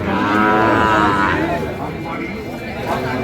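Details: At Ambari market in Cumilla, with Sahiwal bull calves for sale in May 2025, one long harmonic moo swells through the first second and a half, then fades into crowd chatter and general market bustle.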